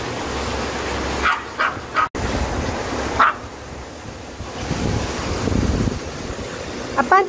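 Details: At a mountain stream in Buryeong Valley, Uljin, South Korea, Dubu the ten-year-old Maltese, still recovering from surgeries, gives a short run of three quick barks and then a single yap. Running water roars throughout, with some talking.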